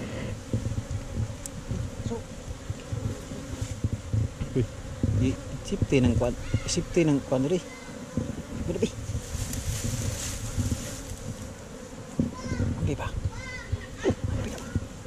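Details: Honey bees in a hive inside a hollow tree trunk during a honey harvest, filmed on a GoPro Hero5 Black: a steady low droning hum runs throughout, with men's voices talking over it in the middle.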